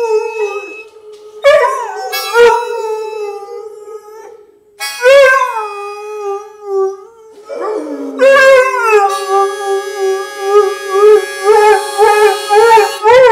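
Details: Pet dog howling along with a harmonica playing bluesy music: long drawn-out wavering howls with rich harmonics, rising at onset then holding steady, several separate howls with short pauses, the harmonica's steady reedy chords sounding underneath and together with the dog.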